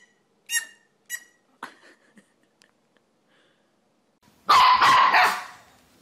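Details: Puppy barking: a few faint, thin yips, then a loud, harsh burst of barking lasting about a second near the end.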